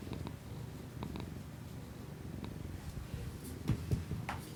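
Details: Pet cat's rumbling purr captured on an iPhone with a Shure MV88 external microphone for ASMR; even low throbbing, a few soft clicks early and brief sharper rustles near the end.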